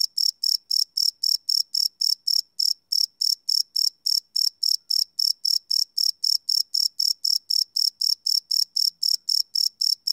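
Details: Chirping crickets after dark, field-recorded live on a Sony PCM D100: rapid high-pitched trilling pulses, close to four per second, with one short break near the start and nothing else audible.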